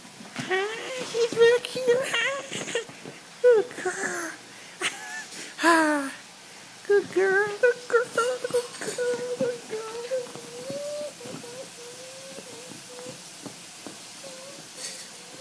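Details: Bella, a hyper Italian greyhound, excited at seeing her owners indoors: long high whines and whimpers that waver and rise, broken by sharp yelps, with people calling her name and talking throughout.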